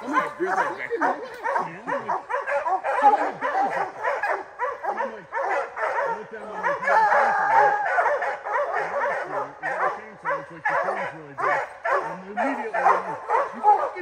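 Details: Bear-training opening day, July 2024, with Rocky the hound: sustained, rapid barking roughly twice a second, irregular and overlapping, while a man speaks on and off underneath throughout.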